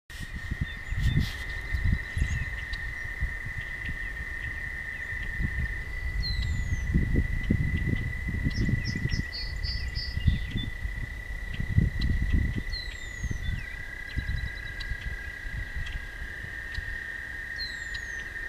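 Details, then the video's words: Toads singing at night beside a walking path: a steady, unbroken high trill drones throughout, its pitch dropping slightly near the end, with scattered faint bird chirps above and bursts of low rumbling wind or handling noise. "Singing Toads"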